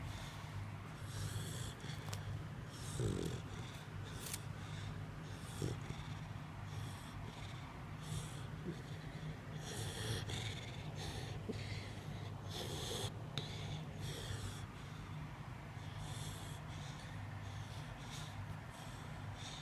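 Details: Snoring dog, rhythmic raspy inhalations and snorts recurring every one to two seconds, with a few sharp clicks and a steady low hum beneath.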